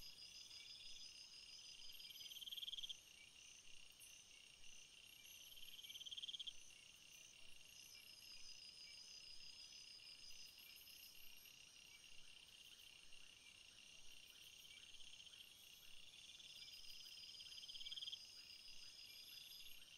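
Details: Crickets among field flowers keep up a layered high-pitched trilling, with short, brighter chirp bursts returning about every four seconds and occasional faint clicks above the chorus.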